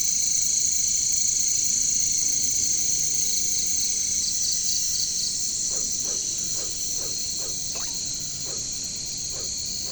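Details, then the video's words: Caricangkas, katydids or bush crickets, in jungle; a continuous piercing high drone fills the whole stretch, while a series of short lower clicks or croaks, about eight of them, sounds near the end. "bunyi caricangkas katydids bush crickets"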